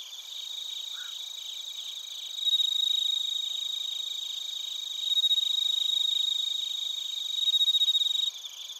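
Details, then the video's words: Bell crickets and crickets from Narita, Chiba Prefecture, Japan, on a TASCAM Portacapture X8: a clear, pure ringing tone swells in three louder bursts over a background of fast, repeated high chirps from other insects. "スズムシとコオロギの鳴き声 - Chirping of crickets"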